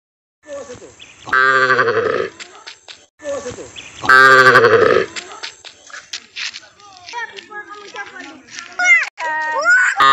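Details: Village cattle in Assam, India, mooing: two long, loud harmonic lows near 1.5 and 4.5 seconds, followed by shorter calls and voices or other livestock sounds in the background.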